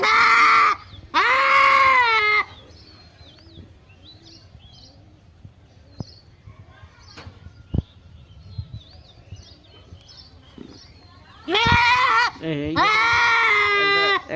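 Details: Goat bleating in bursts: two loud, quavering bleats at the start, a quiet stretch with soft bird chirps, then two more drawn-out, wavering bleats near the end.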